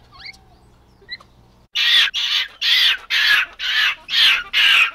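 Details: Capuchin monkey: faint high chirps, then a loud series of harsh, raspy screams, each about half a second long, repeated roughly twice per second.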